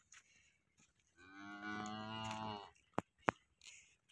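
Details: Jani Best, a cow at Muhammad dairy farm in Sargodha district, Pakistan, lets out a strong, even moo of about one and a half seconds with a slight pitch rise, then two sharp knocks.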